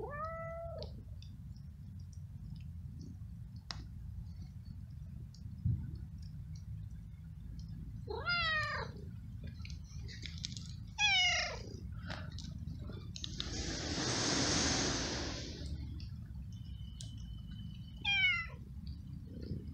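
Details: Hungry stray cat living on the street, met walking in the rain, eating flying ants; several short harmonic meows, some rising and falling, spaced through the recording, with a hiss-like rustle mid-way and steady low background rumble.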